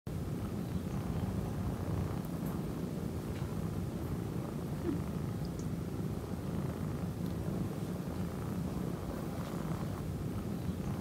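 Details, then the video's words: Male orange tabby kitten purring steadily throughout, a dense low rumble without pause or change in rhythm for about eleven seconds, with faint higher clicks now and then. "Kitten Mimi Priceless Purring And Moaning"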